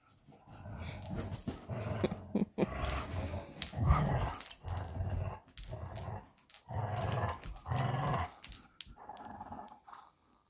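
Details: Rough, low growling from two Belgian Malinois, Bullet and Apollo, playing tug of war with their favorite toy; the growls come in surging bursts about a second or two long, broken by brief quiet gaps.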